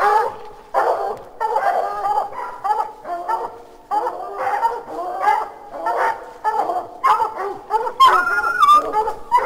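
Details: At 9 pm, recorded from a house deck about 30 feet away, several hounds bark in ringing, drawn-out bursts at raccoons up a tree, ramping up after about 13 seconds.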